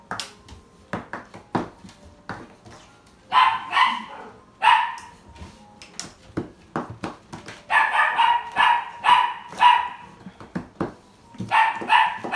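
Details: Male yellow Labrador Retriever barking indoors: bursts of sharp barks, some single and some in quick runs of three or four, with louder clusters near the middle and end and brief quiet gaps between.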